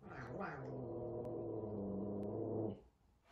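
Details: F2 Savannah cat, a big cat frightened of a little kitten at their first meeting indoors, gives a low, steady growl lasting nearly three seconds, harmonic and even, preceded by a brief hiss-like burst, with faint taps in the room.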